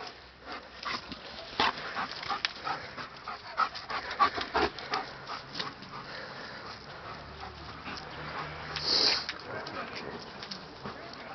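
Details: German Shepherd hunting for kittens that ran off across the way on seeing him, dated 11-12-11; rapid repeated sniffs and panting breaths in a steady series, with a louder hissing burst near the end.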